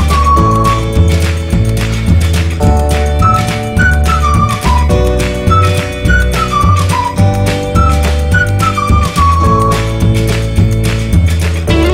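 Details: Melodic background music plays throughout, with a flute-like tune over steady bass beats and no animal sounds.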